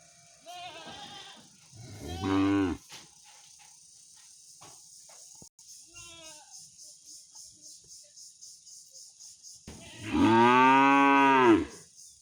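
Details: Cow, described as angry and calling its owner, gives a short low moo early on, then after faint rustling and a quiet murmur, a longer, louder, arched bellow near the end.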